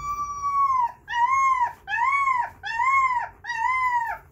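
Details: Puppies howling in reaction to the progressive metal band Haken: five repeated arched, wavering howls, each about half a second to a second long, rising then falling, coming roughly once a second with brief gaps between.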